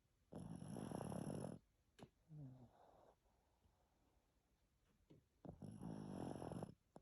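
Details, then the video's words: Pekingese named Greta sleeping after her shower, giving two harsh, buzzing snores about four seconds apart, each over a second long, with a faint short tonal whimper between them in a quiet room. "Грета храпит после душа"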